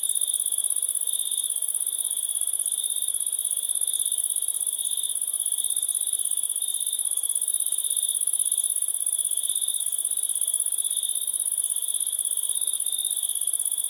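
A continuous, shrill cricket trill holds at one high pitch throughout, with a fainter, even higher shimmer above it. No other animals, voices or music break the constant insect chorus.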